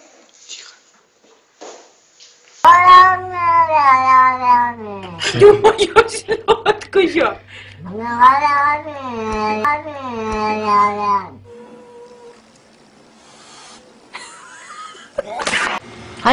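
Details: Domestic cat from a compilation of cats acting mean toward other cats, dogs and people, giving long drawn-out harmonic yowls that swell and waver in several bursts, broken by a harsh spitting hiss, then quiet indoor room tone.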